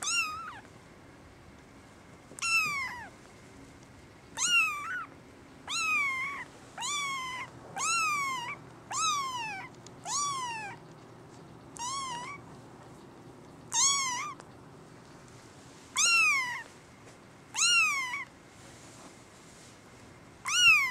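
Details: Male brown tabby and white kitten, born 14 December 2010 and awaiting a new home, having just rushed forward; about sixteen loud, drawn-out meows that rise then fall, repeated every one to two seconds with short quiet gaps between.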